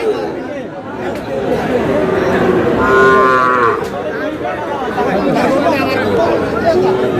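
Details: Sahiwal bull calf bought by a farmer at a cattle market in Sylhet, Bangladesh, on 11 July; a harmonic lowing moo rises near the middle of the clip over constant crowd chatter and people talking.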